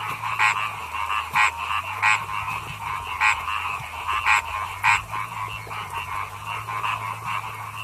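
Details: Chorus of paddy frogs. Loud, clicky croaks sound at irregular intervals, roughly every half second to a second, over a continuous rattling din of many frogs and a low droning hum.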